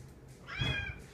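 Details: House cat insisting on company at mealtime utters a brief rising meow of under a second, partly masked by low thumping sounds and a woman speaking nearby.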